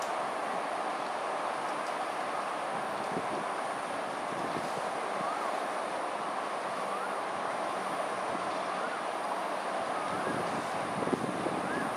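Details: Steady loud rushing noise like wind or passing rail traffic by a river in the evening, with faint speech, masks everything; no otter sound is heard.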